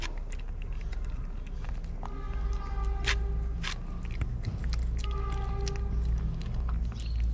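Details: Stray kittens in Morocco, hidden by their mother cat in a shaded spot, give two clear tonal meows around two and five seconds in, over steady low rumble and handling noise.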